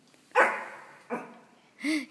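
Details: Pomeranian dog indoors barking at a plush toy dog: two sharp yappy barks followed by a higher whining bark near the end, in a small room.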